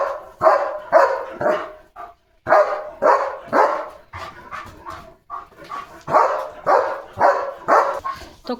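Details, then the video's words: German Shepherd on alert at a gate, barking non-stop at another dog outside; rapid bursts of loud, harsh barks, roughly two per second, with short pauses and a few softer barks between. "Leo The German Shepherd Goes CRAZY Barking!"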